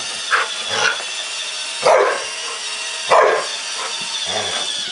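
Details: A Samoyed named Wonder barks at a robotic Roomba vacuum, two loud barks about a second apart with softer yips between, all over a constant mechanical hum and hiss.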